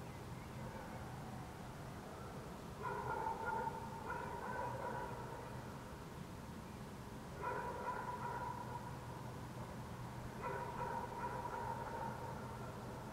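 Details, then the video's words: Dogs barking in the city of Helsinki, Finland, in June 2014, under a waning gibbous Moon: distant, echoing barks come in three short clustered bursts a few seconds apart over a steady low urban hum. "dogs barking in the city"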